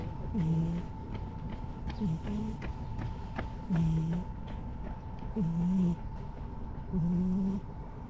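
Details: Brown-and-white stray cat with a stern face in a park, basking contentedly in the setting sun; low, throaty rumbling tones recur about every 1.6 seconds, each paired with a breathy hiss, over a steady background hum.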